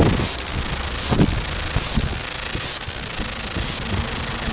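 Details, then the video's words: Cicadas in Wellington, New Zealand, fill the air with a loud, shrill, steady buzz that surges about once per second; soft low thumps are heard in the background. "Noisy Cicadas"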